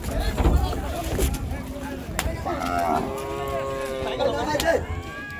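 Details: Cattle unloaded from a boat at the Gabtoli cattle market in 2022. A loud, sustained lowing moo swells after a few seconds, with a noisy crowd, clatter and low engine hum around it.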